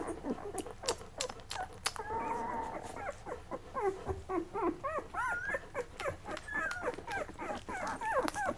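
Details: Litter of Lab puppies, eleven days old, belonging to Mocha, nursing and drifting off to sleep; rapid rising-and-falling squeaky whines repeat in a steady stream, with one longer drawn whine early on and scattered sharp clicks.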